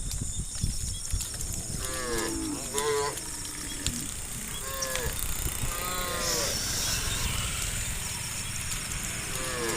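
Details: Tame cows roaming village roads, giving several short, fairly distant moos spaced a second or two apart, partly masked by heavy low rumble and broadband background noise.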